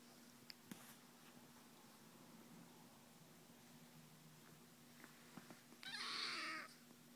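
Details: Kitten littermates Retro and Rocket in a play-biting session; a short breathy hiss bursts out near the end, over faint taps and a steady low hum.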